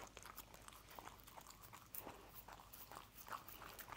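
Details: Scrambled egg being eaten by a dog: rapid moist lip-smacking and licking clicks, continuous and irregular, with a few stronger bites.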